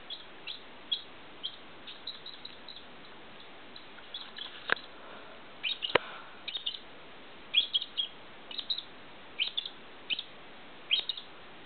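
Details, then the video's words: Soft, high-pitched hiccup squeaks from a squirrel after sucking, quieter and scattered, with two sharp clicks near the middle and small clusters of chirps toward the end. "Squirrel sucking... then gets hiccup"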